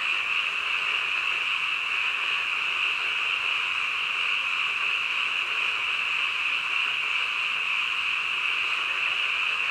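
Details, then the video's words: Frogs calling in the dead of night, so many together that their croaks fuse into a seamless high-pitched drone. The volume stays steady from start to finish. "한밤중 개구리 울음소리"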